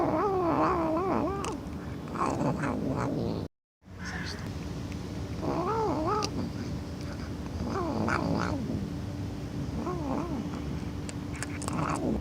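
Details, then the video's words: Domestic cat shown among funny sounds cats make, giving drawn-out wavering yowls that bend up and down in pitch, repeated in several bursts with short pauses, over a steady background hum and a brief silent cut. "Funny Sounds Cats Make"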